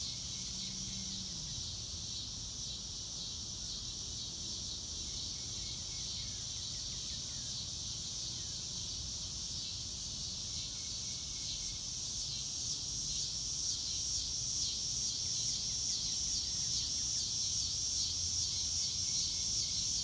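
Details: Real-time nature sound of crickets in grass on a blue-sky day, no music added: a regular, fast-pulsing high chorus that grows louder toward the end, with occasional falling bird notes and a low rumble.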